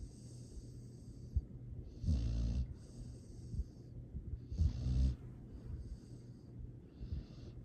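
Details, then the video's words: Astrid, a sleeping rescue dog fostered by Charming Pet Rescue in Boerne, Texas, recorded December 13, 2022. Two deep, rasping snores swell about two and a half seconds apart over a steady low hum and faint background hiss. "Astrid! This makes me happy Sweet snoring Happy sounds"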